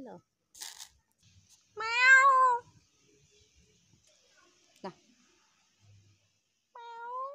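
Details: Frightened stray kitten giving two clear, harmonic meows: a loud drawn-out cry lasting almost a second, then a softer, shorter one at the end, with brief soft speech and faint clicks indoors.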